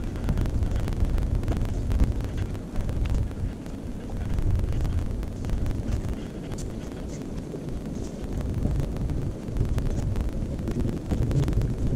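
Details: Heavy low wind and handling rumble from a body-mounted action camera, with scattered clicks and knocks throughout and no clear animal voice.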